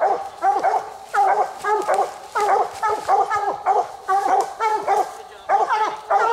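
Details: Two coonhounds at night on a raccoon hunt, working the second raccoon of the night; loud, rough, harmonic barks and bawls come in quick bursts, about two per second, with brief pauses between clusters and a man's voice faintly heard.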